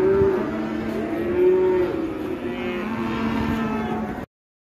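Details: Raging cow released by an elderly handler who is scolded by a trader: held, level moaning tones repeated in a few drawn-out bursts, ending abruptly, over continuous low background noise.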